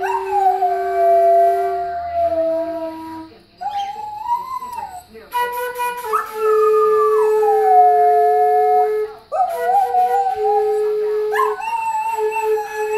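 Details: Pet whippet howling along with a man playing a Beethoven tune on flute indoors; wavering, sliding howls rise and fall over steady flute notes, with short pauses between phrases.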